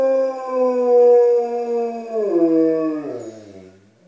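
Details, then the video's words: Alaskan Malamute indoors making its presence known to people outside: a long, clear howl held steady and level for about two seconds, then sliding downward in pitch and fading away. "Malamutes making their presence known"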